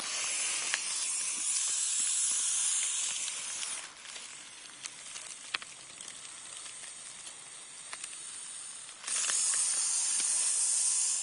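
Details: Eastern hognose snake playing dead, a harmless species found in the northeastern United States. A loud breathy hiss softens midway into quieter rustling with faint ticks, then returns strongly near the end.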